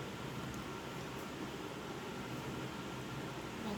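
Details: A steady fan or air-conditioner hum fills a small room, with only faint traces of a voice.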